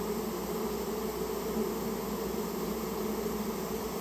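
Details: Japanese honey bees whose colony nested in a storehouse and was removed; an unbroken, even droning hum layered in low bands, with no other sounds standing out.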